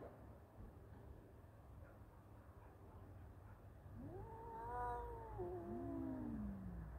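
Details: Two male cats fighting: after a quiet stretch of low background rumble, one long strained yowl swells upward, holds, then slides steadily downward in pitch over about two and a half seconds.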